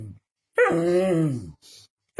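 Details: Pet dog arguing with its owner, who claims the plate of food is his; a drawn-out, whiny, arching vocalization rising then falling over about one second, with the owner speaking Dutch around it.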